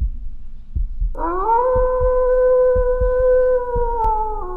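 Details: A wolf gives a long, steady howl at night that rises briefly, then holds a level pitch over a slow, thudding heartbeat sound effect.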